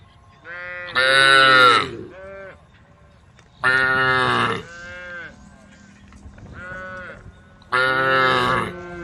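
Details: ['Tame female cows calling the herd with loud harmonic moos repeated roughly every three seconds, each flanked by shorter, quieter calls from other animals.']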